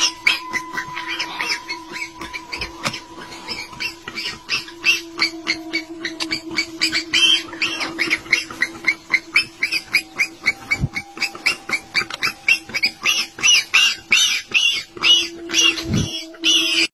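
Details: Baby warthog crying while caught in a leopard's jaws: a rapid, steady series of harsh squealing pulses, several per second, continuing throughout, over a constant sustained musical tone.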